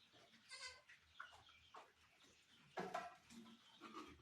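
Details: Barbari goat at a Sultanpur goat farm during delivery; two short nasal bleats, the second louder, over steady low background noise and faint bumps.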